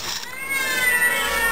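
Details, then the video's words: Overweight shelter cats kept on a special diet meow at feeding time, a long drawn-out harmonic meow holding steady then sliding slightly, with faint background hum. "Fat Cat Feeding Time"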